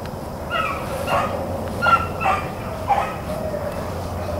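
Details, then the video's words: April 4, 2013 rabbit chase by Blackcreek and Bluetick hounds: a handful of somewhat distant, evenly spaced bays, each a short downward-falling bawl, against a faint background hum. "Blackcreeks and Blueticks April 4, 2013"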